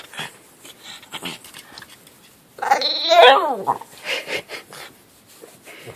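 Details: Elderly miniature dachshund, a sixteen-year-old female, getting vocal while asking for belly rubs: a loud, wavering, harmonic moan-like cry lasting about a second, with a woman's affectionate chatter before and after.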